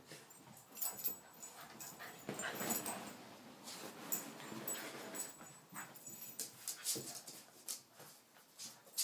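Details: A small Cavachon or Yorkshire terrier dog chilling out gives soft, high whimpers and brief yips in a quiet room.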